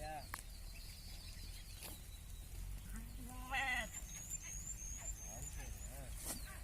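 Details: Sheep on a farm raised for business, giving one short wavering bleat with rich harmonics midway, over a steady low rumble, with a faint voice and small birds chirping high in the background.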